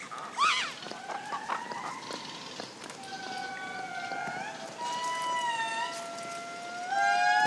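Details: Indri in the Madagascar forest, where neighbouring family groups compete. Sustained wailing notes with rich overtones, gliding and slowly rising, several voices overlapping. A short sharp cry comes near the start.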